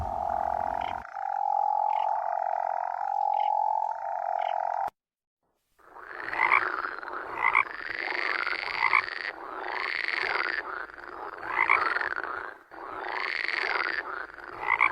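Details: Toads calling: steady humming tonal notes at first, then, after a pause, a harsher rasping croak with rising-and-falling pulses, repeated roughly every one and a half seconds.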